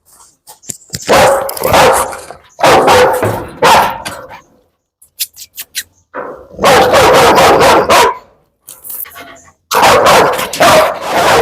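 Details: Rottweiler filmed during a dog challenge in Kerala, India, giving loud, harsh barks in several dense bursts of about one to two seconds each, separated by short pauses, with brief clicks and knocks in between.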